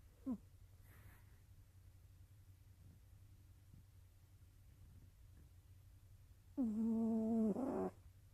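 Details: Nova the cat, sleeping, with a brief faint breath sound at the start, a few soft clicks, then one longer snore of about a second and a half that turns rougher and rattly at its end.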